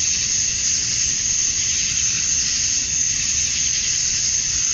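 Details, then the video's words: Summer-dusk chorus of male cicadas in Georgia, USA, singing to draw females: a steady shrill drone with a fast, slightly uneven pulsing texture and no other clear sounds. "Cicadas at Dusk, Summer Night"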